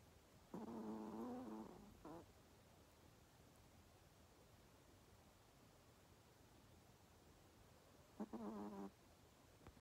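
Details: A Pomeranian asleep, snoring: a drawn-out whistly snore with a short catch after it, a long quiet gap with low room hum, then a second, briefer stuttering snore.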